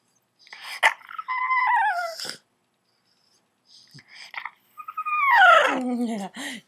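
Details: An upset bulldog puppy gives high, squeaky, falling growls that sound almost like dolphin whistles.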